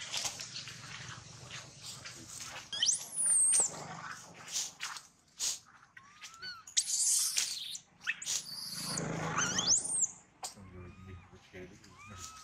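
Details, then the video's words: Young monkey whose leg was almost bitten off by a large male gives high, arching squeals that sweep up and then fall, two main outbursts several seconds apart, mixed with clicks, rustling and a low hum. "Thương Hại Chú Khỉ Con Bị Khỉ Đực Lớn Cắn Gần Đứt Chân"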